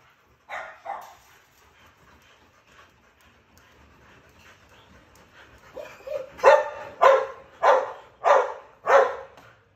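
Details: Rottweiler giving two short barks, a pause with faint low sounds, then a run of five loud, deep, evenly spaced barks about every half second.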